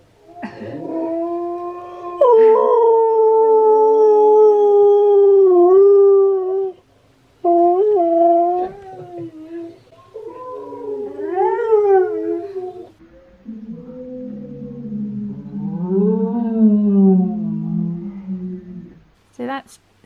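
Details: Singing by Steel the husky that draws head tilts from Key the husky. A drawn-out series of howls: long, gliding, falling notes, then wavering, rising and falling yodel-like phrases and a lower moaning stretch, with short breaks between phrases.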